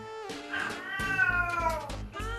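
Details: Domestic cat crying indoors while its owner works, breaking the owner's concentration; one long drawn-out wailing meow with a rising then slowly falling harmonic tone, over background music, with a brief second call at the end.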